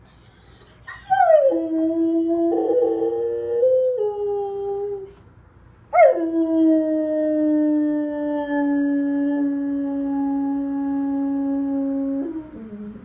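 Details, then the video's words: Duke, a pet dog howling like a wolf when left behind: two long sustained howls, the first starting high and sliding down into a wavering tone, the second a steady drawn-out note lasting about six seconds. "My dog Duke howling like a wolf!"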